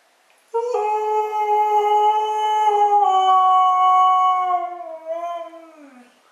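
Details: A female Siberian husky answers her owner's talk indoors with one long, tuneful howl of nearly six seconds, level at first, then wavering and sinking lower as it trails off.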